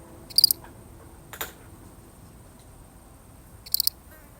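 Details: One lonely cricket in a real recording gives two short, high pulsed chirps about three seconds apart, each a quick burst of three or four clicks, with a single soft knock between them.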